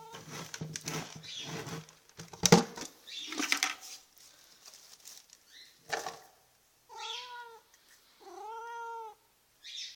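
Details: House cat at feeding time, calling in a way its owner calls barking: rustling and clattering first, then two clear arched meows near the end, rich in harmonics.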